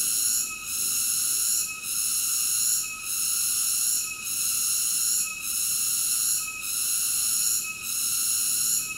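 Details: A cicada sings a sustained, piercing buzz, its layered high tones broken by short regular dips about every 1.2 seconds, seven or so pulses in steady succession.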